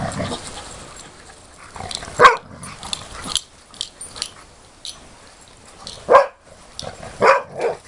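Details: Dogs at play in September 2013 near a pond: isolated sharp barks spaced a few seconds apart, with quiet gaps and faint rustling between them.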